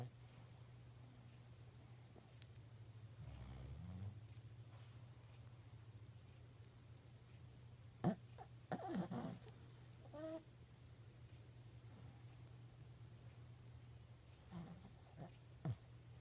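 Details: A Shih Tzu snores while napping, in short, snuffling snorts over a steady low hum.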